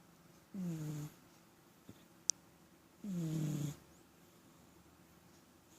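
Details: Pet cat snoring indoors, low rasping breaths with downward-sliding harmonics, each about half a second long, repeating roughly every two and a half seconds, with a brief click and a sharp tick between breaths.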